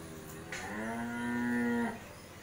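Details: A Mundi cow, a dairy cow that has calved once, at a farm in Bangladesh; a single drawn-out, steady, rich-toned moo of over a second that ends abruptly, in a quiet setting.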